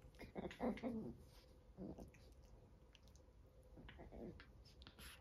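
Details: Fourteen-week-old Chihuahua puppies fighting indoors. A rough, low growl mixed with whiny yelps in the first second, a shorter growl near two seconds, then soft scuffling and chewing noises in a quiet room.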